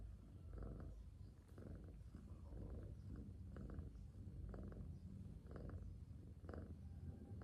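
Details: Sleeping domestic cat resting peacefully, purring softly: a steady low rumbling drone with breathing pulses swelling about once per second, calm and even throughout.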